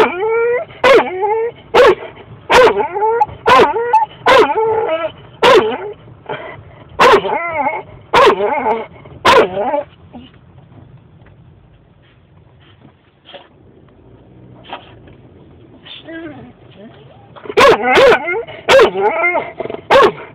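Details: Female dog barking excitedly in a car on the way to a walk, urging her owner to hurry; rapid high yapping barks about once a second, a pause with soft whines and whimpers, then another fast burst.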